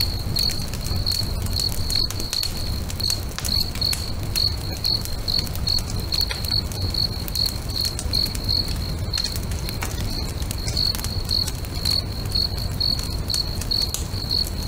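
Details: Crickets singing at a lakeside at sunset, their high, tonal chirps repeating steadily at roughly two per second, with a crackling bonfire snapping throughout and a soft low rumble underneath.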